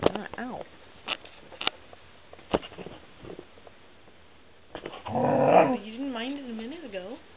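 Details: Snow, a pet dog fighting with the camera, gives a doggy "no" when asked to sniff it: a loud, wavering, warbled moan that rises and falls several times, following a stretch of a woman talking indoors.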